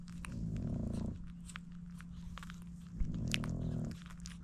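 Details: Seven Frenchie pups feeding from their mother Dooney make low, rumbling, purr-like grunts in two drawn-out bursts of roughly a second, amid soft smacking and clicking suckling noises over a constant indoor hum.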